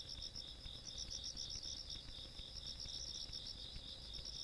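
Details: Night insects in the countryside, recorded on 17 August 2022: continuous high, shrill cricket-like chirping in two bright pitch bands, pulsing rapidly at about four beats a second over a faint low rumble.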